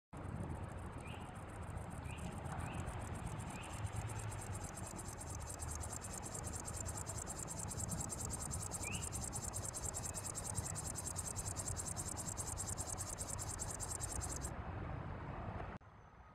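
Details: Chorthippus apricarius grasshopper, female, with calling song, recorded 7 September 2016 at Santpoort; a steady high buzzing rattle runs continuously for about fourteen seconds, with a few short rising chirps early on over low rumbling background.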